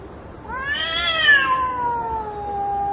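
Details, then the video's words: A fighting cat gives a single long yowl lasting about two seconds, swelling upward then sinking slowly into a low, fading moan, with a faint background hiss. "Gatos Brigando"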